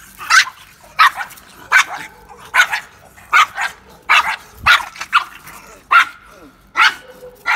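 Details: Two Pekingese dogs fighting give sharp, high yapping barks in quick bursts, roughly one every second, with people laughing.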